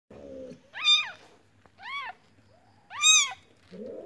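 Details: Newborn kitten from a village crying with short high arched meows, three clear calls rising and falling, with soft lower murmuring sounds at the start and end.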